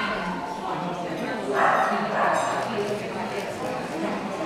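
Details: Shih Tzu at a 2012 speciality dog show in Finland, junior class judging indoors: two short yapping barks in quick succession about half a second apart, rising out of a steady wash of crowd chatter and voices in a large hall.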